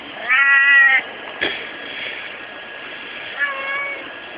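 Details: Kon-chan, a domestic cat, recorded in the daytime: one strong, harmonic-rich meow lasting under a second, a short click, then a softer, lower meow near the end against steady hiss.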